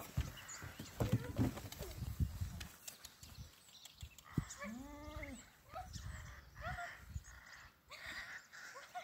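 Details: Honey, a female pet goat following her owner, lets out one quavering, nasal bleat lasting under a second, after footsteps and rustling, with a woman's voice nearby.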